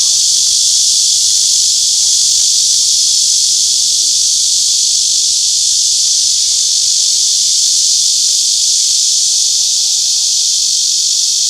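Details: Continuous shrill cicada buzzing, a dense high-pitched hiss steady in volume from start to finish.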